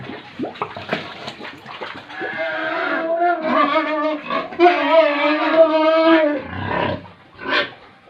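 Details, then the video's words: Pigs and piglets on a Tripura pig farm: scattered snuffles and grunts, then a long, steady, nasal squeal held for about four seconds before breaking off, with a short squeal near the end. "Pigs & Piglets sounds"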